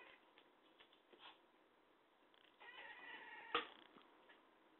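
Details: Talkative domestic cat giving a short harmonic meow after soft scattered sounds indoors, with one sharp brief click near the end.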